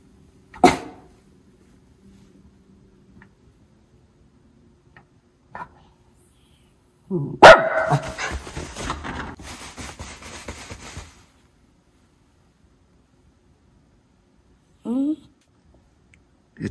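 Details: White Miniature Schnauzer dog barking by a frozen lake on a calm winter day before a snowstorm, alerting to something on the lake; a single bark, then a rough noisy burst, long quiet gaps and a short yip near the end.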